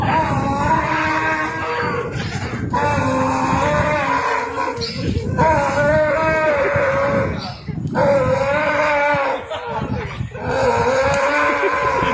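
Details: Donkey. A donkey gives a loud, raspy bray, its harsh honking notes see-sawing between long strained pulls. The bursts come in a rough sequence with brief breaks for breath, filling the whole stretch.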